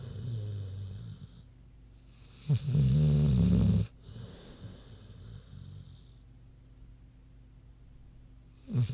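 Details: Big pig Queenie asleep: a single strong, gravelly snore of about a second, then faint low breathing and the start of another snore at the end.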